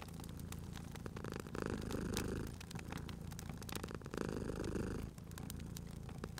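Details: Sleeping cat purring beside a crackling fireplace in a cozy spring ambience; low rumbling purr swells and fades in long breaths about every two and a half seconds, with sharp pops and snaps of burning wood throughout.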